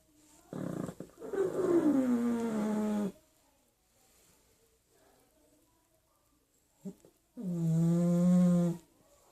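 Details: Sleeping pug giving two long, droning, groan-like snores: the first slides downward in pitch over about two and a half seconds, then a quiet gap, then a steadier, lower drone of about a second and a half.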